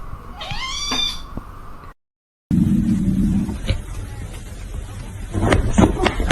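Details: Pet cat giving a single clear, tonal meow that rises and then falls in about a second, followed after an abrupt cut by a steady low indoor hum and a few faint knocks.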